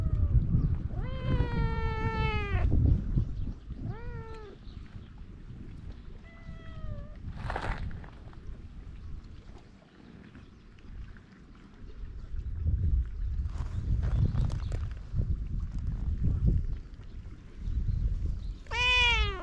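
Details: Stray cat on Japan's cat island, GoPro recording: a run of clear meows early on, the first long and descending, then two shorter ones, a brief sharp cry near the end, with low wind-like rumble throughout.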